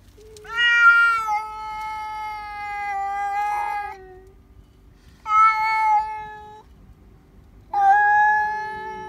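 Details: Pet cats shrieking loudly indoors on seeing another cat outdoors: three long, piercing, harmonically rich wails, each lasting one to three seconds, separated by brief gaps, with a low droning yowl running beneath.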